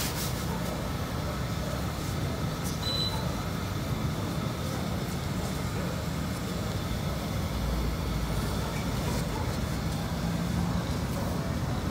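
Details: Steady rubbing and rumbling noise like a vehicle or sanding runs throughout, with no animal voice.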